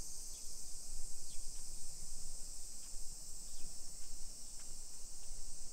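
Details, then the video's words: A continuous shrill cicada chorus fills a summer afternoon, 1 PM on 28 July 2021, in a modern hillside neighbourhood of Nisshin, Aichi Prefecture, Japan. Short falling chirps recur every second or so over the drone, with faint low background rumble. "Summer Cicadas Sounds"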